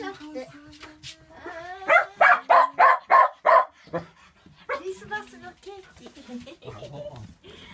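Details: Excited Shetland Sheepdog Olson, ahead of a year-end supply run to Germany, lets out a quick string of about six sharp barks, then softer yips while human voices continue around him.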